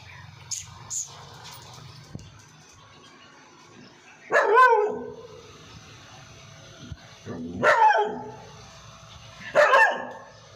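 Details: Labrador kept as a pet barking, three loud barks roughly every two and a half seconds after a few faint clicks and knocks at the start.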